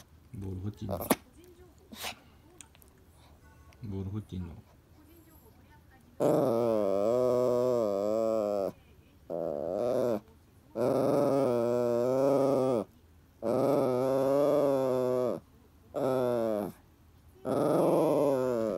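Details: Toy Poodle El nagging Happy Hannah for the ball: faint knocks and small noises at first, then a run of six wavering, moaning growl-whines, each about one to two seconds, coming in quick succession.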